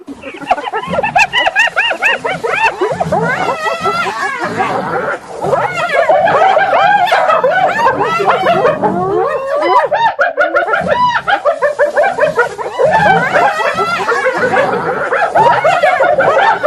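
Several hyenas giggle together in rapid, high, quavering bursts that rise and fall like frantic laughter.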